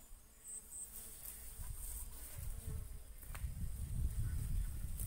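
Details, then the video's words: Bees pollinating and feeding on coconut flowers; a low droning buzz swells and grows louder over the last seconds, with faint high insect chirps and a few brief clicks in the background. "Bees Pollinating and eating coconut flower - nature sounds"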